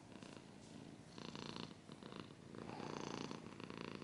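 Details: Close purring from a domestic cat, a rhythmic rumble swelling and fading with each breath in and out, in short cycles about every half second to second, with some light scratching.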